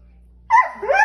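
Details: Borzoi dog 'talking': after half a second of quiet, an abrupt whiny, yodel-like vocalization that wavers up, dips, then rises again and trails off over about half a second.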